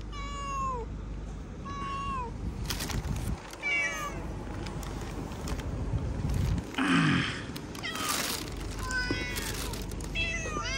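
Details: Cats called forward to line up for food answer with a series of falling meows, several voices overlapping, amid rustling, clatter and a man's Hindi urging.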